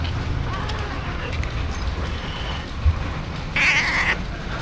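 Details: During heavy rain, two stray cats huddle in a cardboard box, recorded with an action camera; one loud meow comes near the end over constant rain noise.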